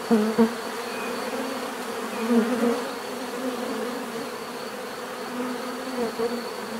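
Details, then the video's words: A swarm of bees hums steadily, the drone rising in short bursts as individual bees fly near, early in the recording and again around the middle and close, with a faint high whine throughout. "bees therapy relaxing natural buzzing sound"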